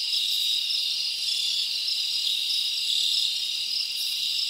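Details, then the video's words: Summer night in the forest with a chorus of crickets, a continuous bright trilling wall of sound from many callers, even in volume throughout, a brief sharper burst near the end. "Live Crickets Natural Sound"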